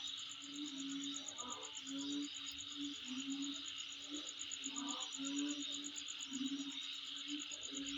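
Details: Night-like chorus of insects at home: a constant high-pitched whirring buzz with fast steady pulse beats, accompanied by repeated low short tonal notes and occasional brief mid-range chirps.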